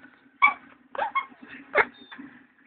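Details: A dog that misses his sister and wants to go see them cries in several short, high, wavering whines with pauses between them, over a steady low hum.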